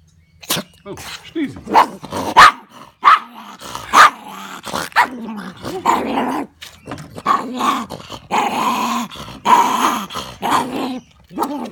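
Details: Maltese puppy growling and barking in irritation while being dried off after a swim; short gruff bursts and yaps repeated across the clip, with people talking nearby.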